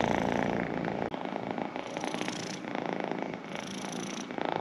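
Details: Close, rapid purr of a pet cat, a fluttering rumble with a short break about a second in, then swelling again on each breath.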